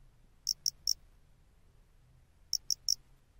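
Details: A face-flattened cricket, commonly heard in the lowlands of western Japan, sings short, high, metallic chirps in groups of three, with a long pause between groups.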